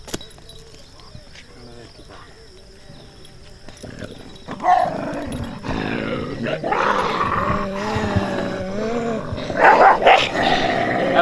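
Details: Dog running and barking at a stranger: quiet background for the first four seconds, then loud, harsh, repeated barks with some drawn-out tonal, wavering cries, rising in intensity toward the end.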